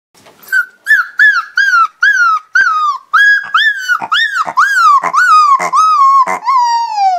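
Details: A 5-week-old Siberian Husky puppy gives a run of short, high, wavering yelps that stretch into a thin howl.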